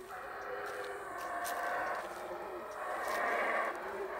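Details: Wild howler monkeys in the jungle of Guatemala, Central America, giving a deep, rough roaring howl that swells and carries on without a break for the whole stretch, growing loudest near the end.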